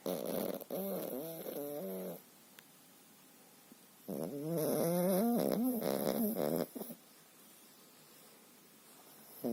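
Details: Pekingese named Dendik snoring in his sleep, which he does almost every day; snoring comparatively quiet here. Rhythmic raspy, harmonic snore bursts: a quick series over the first two seconds, a pause, then a longer, louder run.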